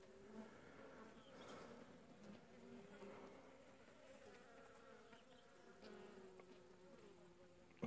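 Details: Western honey bees swarming over honeycomb set out for them the day before, filmed in late July 2015 during winter; a soft, even hum of many wings with faint rustling throughout.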